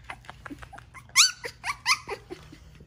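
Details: Newborn black Shiba Inu puppy, a first-born male, giving a few loud, high, squeaky squeals with rich overtones in the middle of the clip, surrounded by softer short squeaks indoors.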